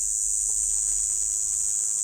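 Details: A kuliglig, called gangis in Bisaya, has got inside a house. It gives a loud, steady, high-pitched buzz that holds unbroken for the whole stretch, loud enough to be mistaken for ringing ears, in a quiet small room.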